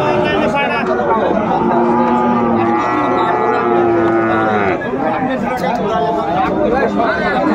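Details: Sahiwal bull at Ambari cattle market in Netrokona, Bangladesh, 8 November 2024, as a farmer buys. A long, low, steady moo holds for about three seconds mid-clip, set against constant crowd chatter and voices of the busy market.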